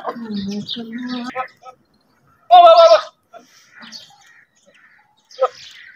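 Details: Goats galloping in open fields; a low droning sound at first, then one sharp, loud, shaky bleat, followed by near silence with a few faint clicks.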